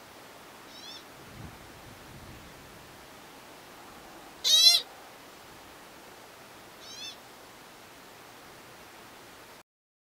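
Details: An American pika in the lava fields of Craters of the Moon National Monument gives a few short, high, squeaky bleats, one much louder than the rest.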